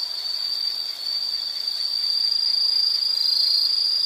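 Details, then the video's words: Continuous shrill insect trill with a fast, buzzy pulsing texture, swelling slightly louder toward the end; nothing else stands out. "Sound · Nature Sound of nature sounds scenery L · insect"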